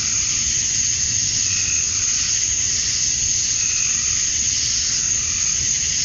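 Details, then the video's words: A chorus of male cicadas at summer dusk in Georgia, USA, chirping to draw females. A continuous shrill hiss dominates, with a couple of brief mid-pitched swells rising through it and a faint low rumble underneath. "Cicadas at Dusk, Summer Night"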